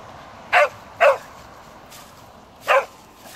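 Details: Dog bouncing in bushes and barking, three short sharp barks, two close together then a pause before the third, over a quiet background.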